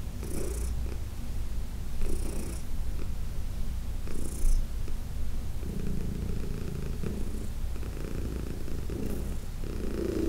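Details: Heidi, a 14-year-old cat from the Humane Society of New York City, purrs under massage; low constant purr with brief hissing rubbing noises at intervals of about two seconds.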